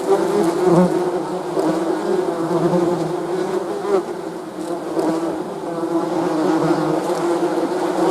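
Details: Honey bees buzzing steadily, a dense continuous hum with layered droning tones and slight wavering in loudness throughout, no other clear sounds.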